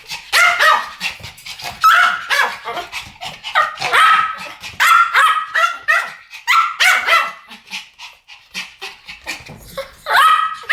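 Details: Two Pomeranians barking as a duet, shrill high-pitched yips in tight back-to-back groups, some barks drawn out with a ringing tone, pauses of a second or so between bursts.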